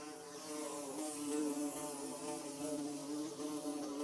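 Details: Short stretch of bees buzzing as they build a hive: a thick, even drone with slightly wavering pitch that swells briefly, continuous from start to finish.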